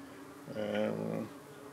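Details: Honey bee at a UK hive under attack by darting parasitic flies, around 8:15 on a hot 25 June evening, flying close and investigating. It gives one brief, rich, low humming buzz that swells and fades within about a second.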